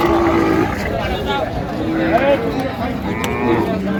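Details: At the Raniganj livestock market in Dinajpur on 27 November 2025, where cows are sold with their calves, a low, steady mooing tone opens the clip. A brief lowing follows later under constant human talk and market bustle.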